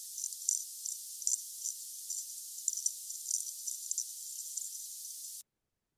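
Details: A cherry-stone water beetle recorded underwater in a tank makes high, scratchy clicking bursts that come in quick, uneven pulses.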